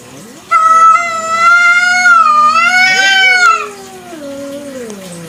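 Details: Village cat (kucing kampung) calling at night, a long drawn-out meow of about three seconds, rich and slightly wavering, ending as a second lower, descending moan trails off into quiet background hiss.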